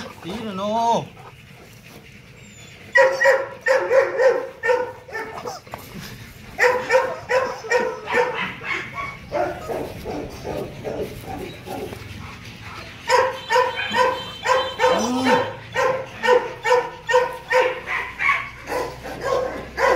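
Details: Loki, a male Rottweiler breeding dog nearly two and a half years old at Gervi Kennel, gives a series of rapid, tonal barks after a quiet start, roughly two per second, with a brief rising whine near the beginning.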